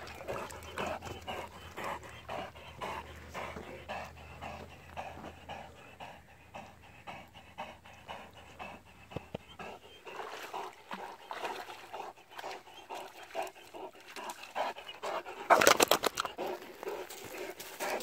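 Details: A struggling Great Dane pants in steady breathy bursts throughout, with a faint low hum over the first half and a sharp louder rustle near the end.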